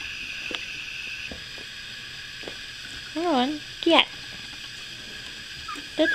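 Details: Indoors with two-week-old puppies whose eyes have just opened: after quiet room hiss, a wavering, warbling whine, then a sharper brief squeal, and another short cry near the end.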